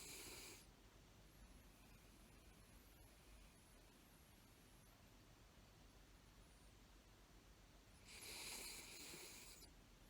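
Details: A Toy Poodle lies on a lap, seemingly asleep though its eyes are open. It makes breathy, hissing snores at the start and again near the end, with a soft steady hush in between.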